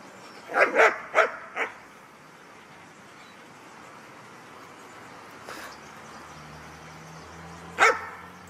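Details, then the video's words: Guard dog at a kennel in Ha Tinh, Vietnam, during guarding training, barking in a quick burst of four sharp barks, then a single bark after a pause; quiet background between. "Bài tập trông đồ rất hay của chú chó nghiệp vụ/ chó bảo vệ."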